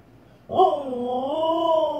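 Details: Siberian Husky female reacting to her own reflection in a fireplace indoors: an abrupt, loud, warbling howl that rises, dips and rises again over more than a second, steady and tonal, over a faint constant high hum.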